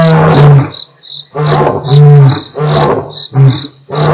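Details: Two lions of the Mapogo Coalition at Nkorho, recorded 12/11/07 on Africam's live stream, roaring: deep, heavy pulsed bursts that swell and fade in quick succession, with a steady high cricket chorus behind.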